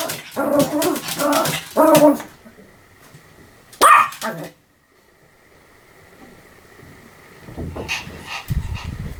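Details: Pomeranian dog giving a quick burst of sharp overlapping barks in the first two seconds, one more loud bark near four seconds, then quiet with a low rumbling noise toward the end.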